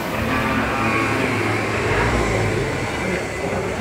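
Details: Dense, continuous mechanical rumble and crowd din at a busy market, with no distinct animal call heard.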